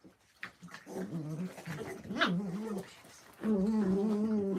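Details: Puppy at morning play indoors in Illinois, giving drawn-out low growls with a wavering pitch, a brief rising yelp in the middle, then a loud sustained growl at the end.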